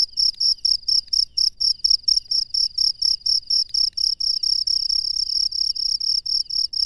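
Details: A cricket sings at night in the wild, its piercing high chirps pulsing quickly and evenly before running together into a near-continuous trill toward the end.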